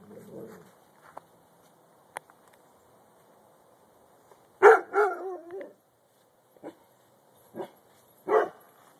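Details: Dog barking: a few sharp, loud barks spaced irregularly, one followed by a quick double bark with a falling tail, over a quiet indoor background with faint clicks.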